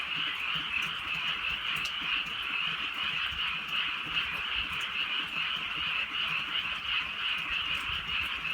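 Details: Frogs in the countryside sing in light night rain: an unbroken, uniform chorus of rapid high croaking, with gentle rain hiss in the background.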